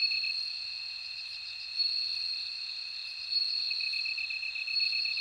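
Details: A bright, sustained ringing tone from a bell cricket dominates, with a softer stuttering trill lower down that grows pulsed toward the end, and a quiet background of insects.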